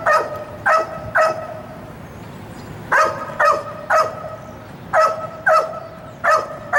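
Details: Sirius, a wildlife detection dog candidate being evaluated, tethered at a fence; sharp, evenly spaced barks in pairs and triples, roughly two per second, with a quiet outdoor background.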